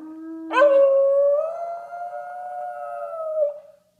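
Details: American Bully dog howling indoors: one long, steady, tonal howl that rises at the start, then holds nearly level for about three seconds before fading. A faint lower tone comes just before it.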